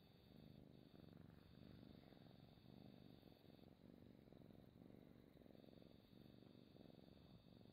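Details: Pet cat purring up close, recorded indoors as ASMR: a steady low rumbling purr with fine rhythmic pulsing that swells and eases with each breath, over a faint constant high electronic whine.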